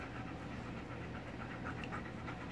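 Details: Male Golden Retriever named Chowder, kept behind a gate and excited at his owner's arrival, panting in quick even breaths, each pulse a soft breathy burst, with a steady low background hum.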